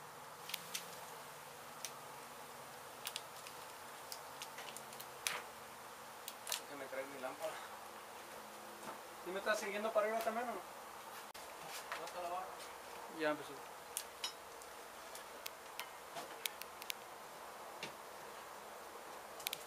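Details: Disturbed honey bee colony in a demolished abandoned house in Mission, Texas, being removed and relocated. A continuous colony buzz holds steady under scattered taps and clicks, with a short stretch of human voices near the middle.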